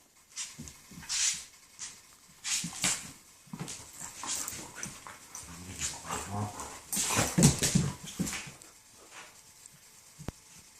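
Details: German shepherds making noises while playing: a busy, irregular run of rough, breathy growls, snorts and whimpery grunts, several bursts per second, loudest around the middle, with no other clear sounds.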